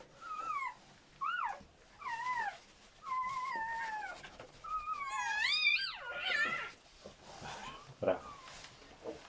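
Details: Whining from newborn German Shepherd pups, part of a seven-puppy delivery: wavy, drawn-out squeals follow one another, some long and sliding, then a shrill, strained cry climbs high before fading into softer whimpers.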